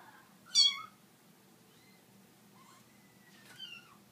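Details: Kittens indoors meeting an Italian Greyhound for the first time; a loud, short, high meow near the start, then fainter thin rising and falling mews later, with a low steady hum underneath.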